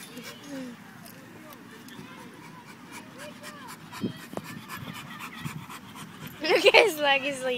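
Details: Pit bull at a park, panting in quick rhythmic breaths around four per second, with people talking throughout and a louder burst of voices near the end.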